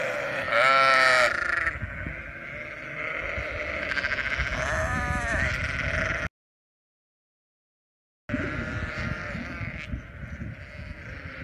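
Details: Sheep bleat in loud, wavering baa calls over a steady background murmur of the flock.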